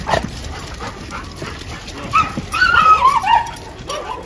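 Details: Female dog of an Indian breed, boarded for a few days at a dog hostel in Jodhpur and described as fearful, gives high thin whining whimpers that waver and slide downward in a short cluster, over faint room noise.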